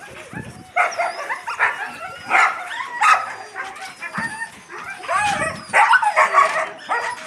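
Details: Yakutian Laika puppies and their mother Rumba; squeaky rising whines and sharp yips tumble over one another in uneven bursts, with a soft scuffle underneath.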